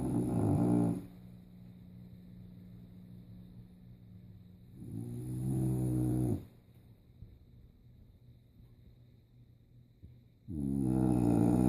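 An English bulldog snores in loud, rasping, rumbling bursts about every five seconds.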